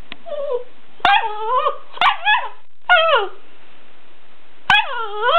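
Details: Weimaraner dog not pleased at having an empty food bowl, giving a series of high, harmonic whining yelps that slide downward, with sharp clatters of the bowl between them.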